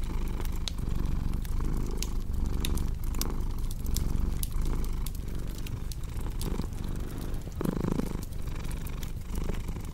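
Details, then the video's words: Cat purring beside a crackling fireplace: a continuous low, rumbling purr with gentle rhythmic swells runs through the whole stretch, while sharp, dry pops and snaps of burning wood scatter irregularly over it. "Purring Cat"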